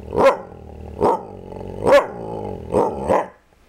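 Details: Kaiser the dog barks five times over about three seconds, loud punchy yaps at uneven gaps with a steady low hum underneath.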